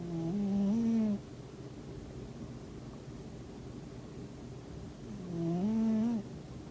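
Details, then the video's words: Sleeping house cat snoring at home beside its owner on a quiet weekend: two low, droning snore breaths about a second long with a slight rising whine, spaced about five seconds apart, in a quiet room. "리얼 고양이 코골이"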